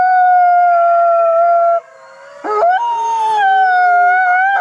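An Arctic fox gives a long, steady, howling cry, then breaks off and rises into a second wail.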